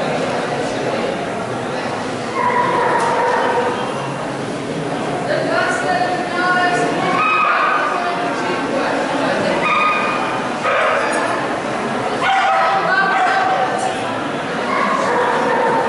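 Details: Alaskan Malamute vocalising on the second day of a 2019 dog show in San Marino: repeated short whines and yips, some sliding up or down in pitch, scattered through continuous background talk from a crowd.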